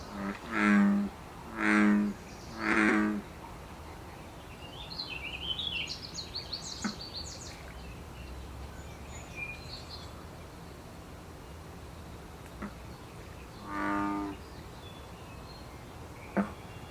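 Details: Three low, resonant bullfrog croaks in quick succession, then a lone fourth croak later. A wild American bullfrog calling in the Canadian breeding season of mid-June, with a brief bird trill in between.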